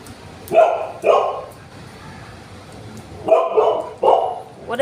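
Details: Jealous Golden Retriever, uneasy as its owners pet another dog indoors, gives two short sharp barks, pauses, then two more, with Bengali voices between.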